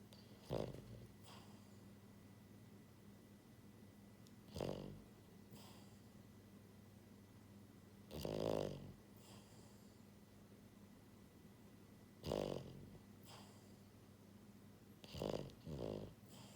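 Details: Sleeping French Bulldog, a pied female born January 2022, snoring loudly indoors; rasping, rattling snores recur irregularly about every three to four seconds, with a double snore at the end and a faint steady hum beneath.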